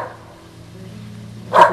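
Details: A usually quiet female whippet gives a single sharp, loud bark at the Goodyear blimp flying overhead on a fine day, after a quiet stretch with a faint low hum.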